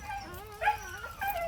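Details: Jindo dog at home around the birth of a litter of puppies; a short, high, wavering whimper that slides up and down, followed by a second brief whine, over faint low background hum.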